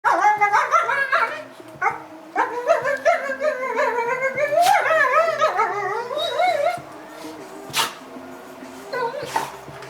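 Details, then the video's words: Dog being very vocal while playing with another dog; a long run of warbling, yodel-like whines and groans rising and falling in pitch for about seven seconds, followed by quieter scuffling and a couple of sharp clicks. "Dog making more noises..."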